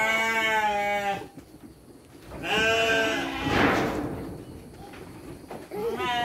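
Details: Sheep on a farm bleat during dry-feed time with children present; a steady bleat opens, another follows after a pause, then a rustling noise and a short rising bleat at the end.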